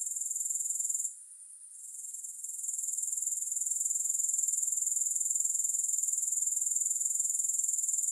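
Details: High, thin, rhythmically pulsing grasshopper chorus; a short hush after the first second gives way to a gradual return of the even, shrill trill that holds steady throughout.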